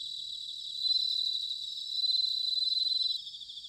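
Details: Bell cricket singing in autumn, recorded in Futtsu area of Chiba, Japan: a bright, ringing high trill held steady, swelling louder in two long bursts before easing off, with a second faint chirping insect layer beneath.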